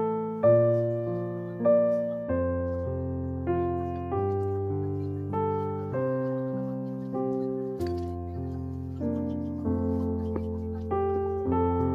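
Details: Gentle piano music plays throughout, with slow chords and a melody repeated in even phrases; no animal sounds are heard.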